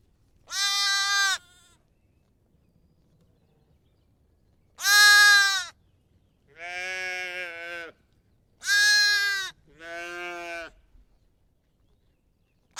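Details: Lamb and sheep bleating: five wavering, harmonic bleats about a second long, some loud and bright, others lower and softer, separated by quiet pauses; two voices alternate near the end.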